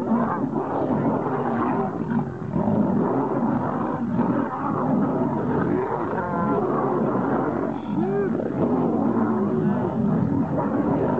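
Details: Two male lions in the wild clashing to become king: steady, dense snarling and throaty growls for over ten seconds. Occasional sharper rising yowls break through the rough, unbroken roar of the fight.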